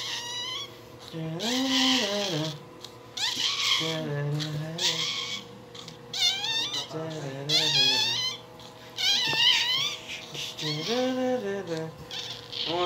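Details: Newborn Shih Tzu puppy crying: a run of thin, high wavering squeals, arching up and down in pitch, coming in bursts every second or two, with a steady low hum and faint music underneath.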